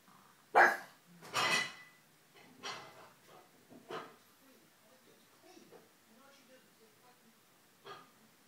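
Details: Ulysses the pug barking indoors: two loud sharp barks near the start, then softer, shorter barks and huffs spaced about a second apart, fading, with a final small bark near the end.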